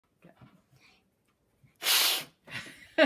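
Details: A tiger gives two harsh, breathy hisses, like air forced out in sharp bursts, followed by laughter.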